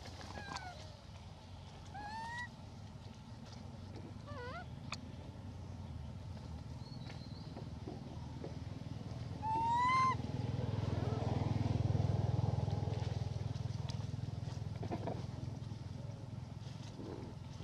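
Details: A female hybrid monkey called Elpida requests food with a series of clear, rising whistled coos spaced a few seconds apart, the loudest near the middle. A low rumbling background swells toward the end.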